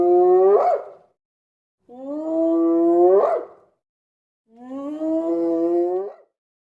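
A hyena howls three times, roughly every two seconds. Each call is a steady, slightly rising, moaning note that breaks into a harsh, breathy finish before falling silent.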